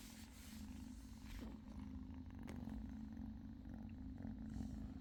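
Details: British Shorthair kitten purring steadily, a low continuous rumbling purr with a pulsing texture that holds throughout, with faint rustling and soft handling noises in the background.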